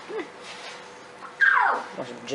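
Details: Young lion cub giving a single loud, strained call that drops steeply in pitch over about half a second, preceded by a soft coaxing voice and followed by surprised human speech and laughter.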